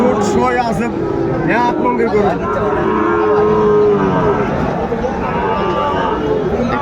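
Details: Sahiwal bull at a cattle market in Chattogram, Bangladesh, bought by a farmer in January; drawn-out harmonic lowing moos rise and fall over steady market chatter, crowd noise and speech.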